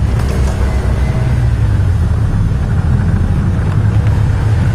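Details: Steady low engine rumble of a vehicle with wind noise, and no animal calls.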